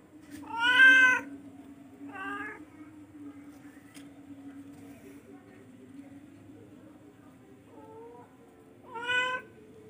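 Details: A charcoal F1 cat gives a strong meow, then a shorter second call and a soft faint one, before a final clear meow, over a constant low indoor hum.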